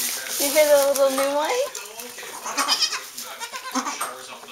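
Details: Newborn Saanen/Alpine kid goat on a hobby farm in May, one long, steady, nasal bleat lasting over a second, followed by human voices and rustling.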